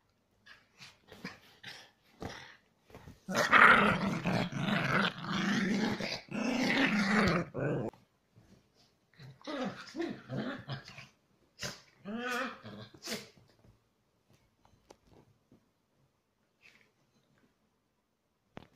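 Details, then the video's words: Chihuahua cross dogs in aggressive play indoors: long bouts of loud snarling growls with yips, pauses filled with scuffles and clicks, then another growling flurry before it quiets. "Our Chihuahua cross dogs aggressive play"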